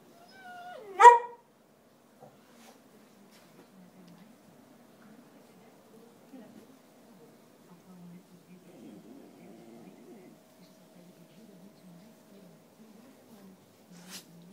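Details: Theodoro, a hungry Whippet asking for food, gives one short, loud, whining yelp with layered harmonics near the start. Near-silence follows, with faint low murmurs and a brief soft sound at the very end.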